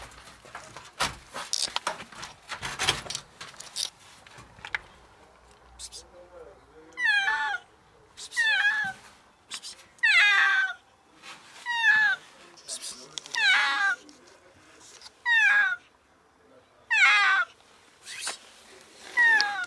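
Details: Female cat stuck in a ground-floor alley reached only through a door, desperately meowing for help; after some early noise, a steady series of loud, falling harmonic meows repeats about every one and a half seconds.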